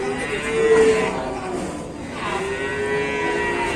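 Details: Cow in an Indonesian cattle pen calling very loudly, two drawn-out harmonic moos, the first strongest near the start and the second swelling after the midpoint.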